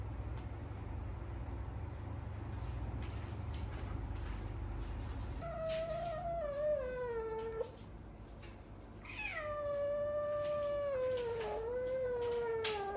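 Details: Eight-month-old female cat at the vet for spaying, giving two long, drawn-out, wavering meows after a stretch of low rumbling background noise.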